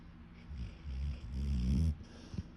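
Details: A deaf pet dog snoring while asleep: a low, rumbling, harmonic snore that swells and holds for about a second and a half, with a short snort near the end in a quiet room.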